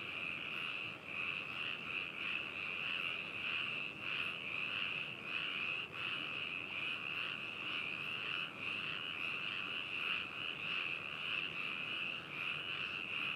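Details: Frogs in Hakushu, Hokuto City, Yamanashi Prefecture, Japan, recorded 4 May 2018 with binaural microphones and a ZOOM H2n: unbroken high, pulsing croak-trills from many animals forming a steady, throbbing chorus.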